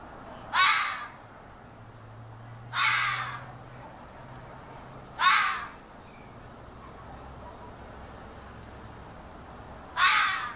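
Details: A local fox, probably young, calls in a yard with harsh, raspy half-second screams spaced a few seconds apart. The observer wonders whether a female is calling for him.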